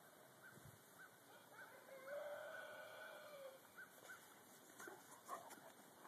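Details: Dogs out running, one giving a drawn-out, tonal howling whine that holds steady for over a second, then faint short yelps; light wind and open-air background.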